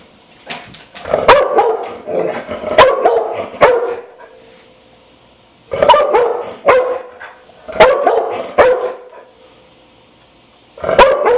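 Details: A Dogo Argentino gives repeated gruff barks in three clustered volleys separated by pauses of about two seconds, each volley holding several hoarse, mid-pitched barks.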